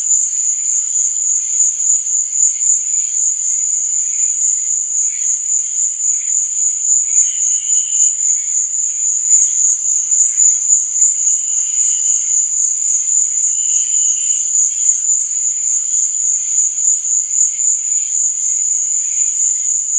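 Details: A steady wall of night cricket chirping, high and shrill with a fast regular pulse, overlaid by brief lower chirps appearing now and then, notably near seven, twelve and fourteen seconds.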